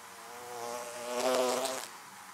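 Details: Honey bees buzzing around beehives, a steady low hum that swells loudly as a bee passes close, then fades.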